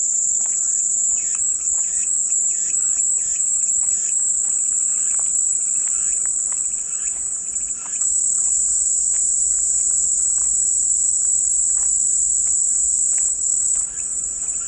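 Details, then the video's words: Cicadas singing for a peaceful white-noise backdrop: a dense, high-pitched whine continues without pause, slightly wavering early on, over quieter trains of short rhythmic chirps. "마음이 평온해지는 매미소리"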